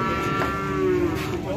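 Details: Cattle at a livestock sale with bargaining over a rare jumbo cow: a single steady, droning moo held for about half a second, set against crowd chatter and background music.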